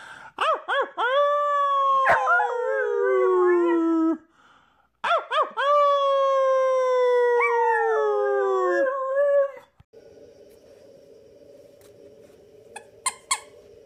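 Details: Bernese Mountain Dog puppy howling twice: each howl opens with a few short yips, then becomes a long, tonal, wavering cry that slides gradually downward. A brief pause separates the two howls, and a steady low hum remains afterward.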